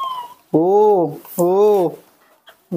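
A newborn monkey gives two drawn-out, arching wails, crying for milk.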